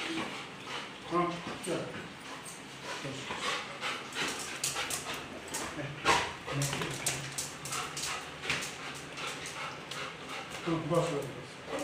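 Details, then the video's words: Oscar, a Labrador Retriever, very happy as his owners' parents return home after a month away, gives short high whines and whimpers near the start and again near the end, with people talking and household bustle throughout. "Reaction of oscar | labrador"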